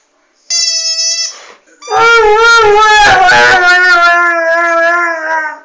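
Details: Airedale Terrier dog unexpectedly starting to sing: a short steady tone, then a long wavering howl with rich harmonics, pitch sliding up and down in a sustained vocal line.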